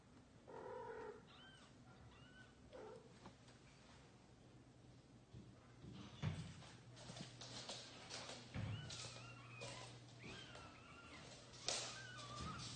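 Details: Kittens meowing loudly as their mother carries them to a new place: a couple of short harmonic mews early on, then more high, thin cries over rustling, thumping handling noise and a steady low hum.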